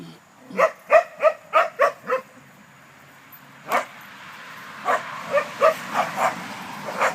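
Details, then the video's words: Dogs playing, one named Alea: a quick run of six sharp harmonic barks in the first two seconds, a lone bark near four seconds, then a later burst of several more barks, fairly evenly spaced at play pace. "Dogs playing"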